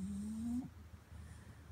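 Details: A sleepy pet French Bulldog, Louie, bothered while resting, makes a short, steady low whine that rises gently in pitch for about half a second and then cuts off, leaving faint room hum.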